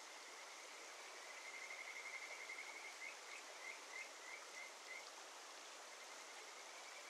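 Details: A Kajika frog calls from under rocks in a Shinetsu mountain stream in early July, giving a quick run of clear, bird-like whistled notes over the steady rush of water.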